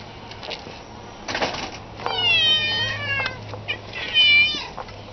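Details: House cat giving a long wavering meow with rich harmonics, followed by shorter descending meows and a final brief cry, steady low hum underneath.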